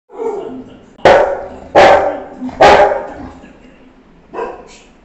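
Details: A female Rottweiler in Varanasi, on duty and described as angry, gives deep, harsh barks in a quick burst of three, then one softer bark.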